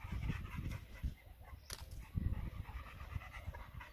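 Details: Dog panting on its first time in a kennel, possibly named Leo; rhythmic low breathy pants repeated about every half second, with brief noise bursts between.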